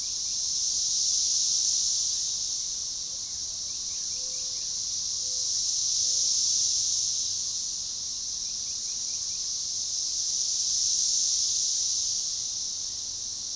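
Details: Synchronizing chorus of Magicicada tredecassini periodical cicadas, forest edge near DeValls Bluff, Arkansas, June 7, 2015. A continuous high shrill drone rises and ebbs in waves roughly every four to five seconds, with faint brief bird whistles underneath.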